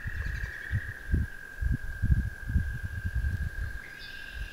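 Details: An American toad by the water's edge in spring gives a long, steady, high musical trill that runs without a break, over low rumbling wind and handling noise, with a brief red-winged blackbird note near the end.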